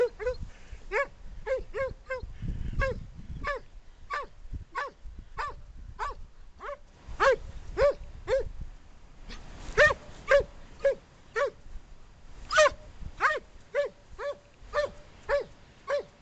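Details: Jake, a 12-year-old German Pointer from Portland, UK, appears to talk to a rock with a long run of short, tonal, yelping barks, about two each second and fairly steady throughout, over a faint low background rumble.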